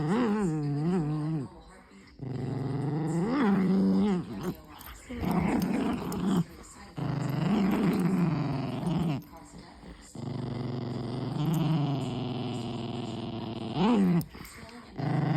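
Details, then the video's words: Dog making a run of odd, drawn-out vocal noises indoors: moaning, growl-like phrases with wavering, rising and falling pitch, in several bursts of a few seconds each separated by short pauses. "Crazy doggo makes crazy noises"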